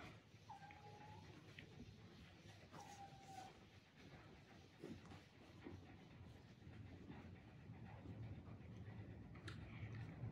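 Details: Rescued kitten Terra at its first bath, indoors, complaining with meows: two drawn-out, level, slightly nasal meows in quick succession near the start, then steady low rumbling background noise with soft clicks and faint voices.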